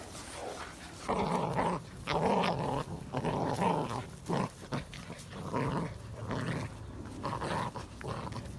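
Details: Presa Canario dog, April 2020, growling in rough, throaty bursts about a second long, separated by brief pauses and repeated steadily, with a rasping, low-to-mid tone indoors.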